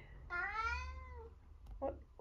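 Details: A single drawn-out meow, about a second long and sliding gently downward, comes from Eric, an 11-year-old semi-long-haired tabby tomcat in Britain known for being very vocal. A short muffled sound follows.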